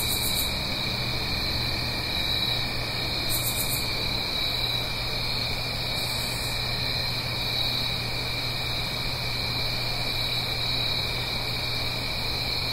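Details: Blue Ridge Mountains crickets on an autumn night, uphill from a gentle stream: steady shrill chorus in two high bands, with brief very high hissing bursts roughly every three seconds early on, over a low hum and rushing background.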